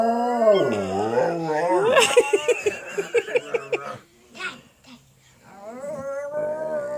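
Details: Pet dog howling along with a girl who howls with it; wavering harmonic howls slide up and down, broken mid-clip by a run of short pulsed yelps and breathy, speech-like sounds, then a steady rising howl returns.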